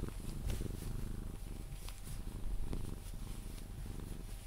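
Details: Pepe, a Sphynx cat, purrs during cuddles until drifting off to sleep; deep continuous rumble with rhythmic pulses, punctuated by brief clicks and rustles from touching.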